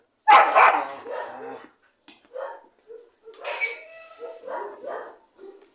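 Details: Dogs barking: a loud harsh burst of barks at the start, then shorter, fainter yelps and whine-like notes that come in uneven bursts over a few seconds.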